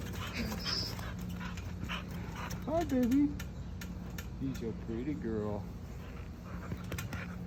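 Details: American Bully puppy, a female, on a trampoline making funny noises: short whiny yelps and whimpers, some rising and falling, scattered across the clip while a woman speaks encouragingly and a steady hum runs underneath.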